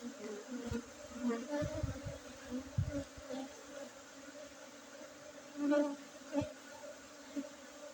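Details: Honey bees at a honey harvest in Bener Meriah, Aceh, Indonesia, on 5 June 2023, kept among Arabica coffee gardens. The colony gives a continuous, even, low drone, overlaid with soft thumps and rustling.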